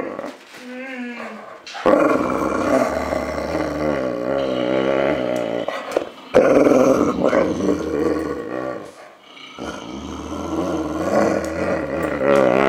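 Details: Male Boxer named Enzo growls in drawn-out, throaty bursts separated by brief breaths, pitch undulating in a rolling rumble; a human voice briefly heard at the start.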